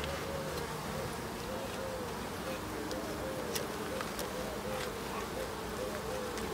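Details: End-of-summer hive visit, 22 September, with honey bees: a continuous low drone of massed bees, with thin wavy flight tones drifting up and down and scattered soft clicks above.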